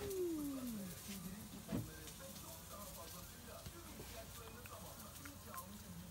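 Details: Stray cats at midnight in a backyard, defending territory: a clear descending yowl slides downward, then gives way to low, murmuring moans and scattered clicks over steady background noise.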